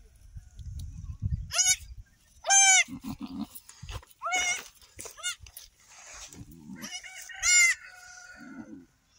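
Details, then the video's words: Baby goats, freshly born as triplets on an off-grid homestead, bleat in high, wavering cries, five or six of them spread over nine seconds. Low murmuring voices and shuffling are heard between the calls. "baby goats"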